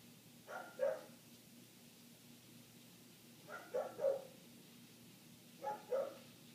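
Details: Muffled barking of a neighbour's dog, heard inside through closed windows during an eight-minute barking spell: three short bursts of two or three hoarse barks, roughly every two and a half seconds, over quiet room hum.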